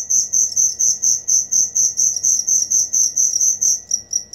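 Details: Rapid, evenly spaced high chirps from a cricket, about three a second, clear and loud against a quiet background.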